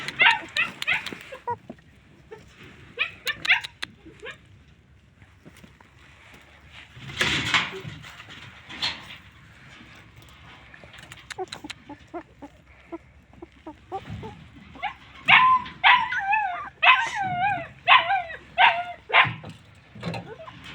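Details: Homeless, hungry and thirsty dogs calling out: scattered yelps early on, then a run of high, wavering whines and cries repeated about every half second, with a loud noise burst near the middle.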